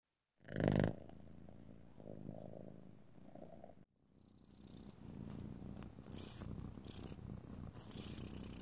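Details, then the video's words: Domestic cat purring indoors while its nails and its owner's nails are filed; a loud thump opens, then a steady low rumbling purr continues, broken by a brief dropout and overlaid with soft scratchy filing strokes. "ASMR Cat: Nailed It! [no talking] [filing long nails] [rubbing oil/lotion] [purring]"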